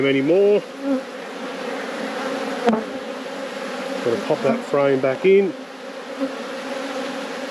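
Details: Buzzing of honey bees at an apiary hive during a beekeeping inspection; a constant low drone underlies the clip, interrupted by short bursts of human speech at the start and middle.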